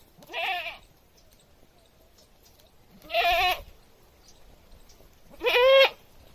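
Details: Village goat screaming loudly: three loud, wavering bleats about half a second each, roughly every two and a half seconds, harsh and nasal with a quavering, rising-falling pitch, over a quiet background.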